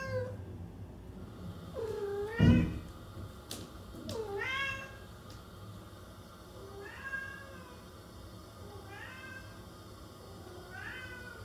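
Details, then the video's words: Housecat uttering a string of bending meows, some fading and softer, with a brief loud thump near the start and a steady low hum throughout. "Capturing the Expressive Voices of Feline Actors"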